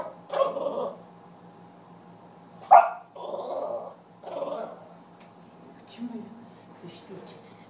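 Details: Puppy barking and growling in short rough bursts, one sharp bark standing out, with quieter sounds and a low steady hum between them indoors.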